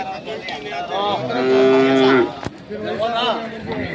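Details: Hallikar cattle at the K G Temple cattle market, held every Monday in Gubbi taluk, Tumakuru district: one steady, drawn-out moo lasting about a second, then a sharp knock and a shorter moo, with background chatter.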